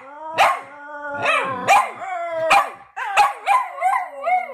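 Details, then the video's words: Two dogs, Fred and Barney, sing a duet: one holds a long, low, steady howl beneath while the other breaks in with rising and falling yelping howls, roughly twice a second, with a few sharp barks between. "Dogs singing a duet"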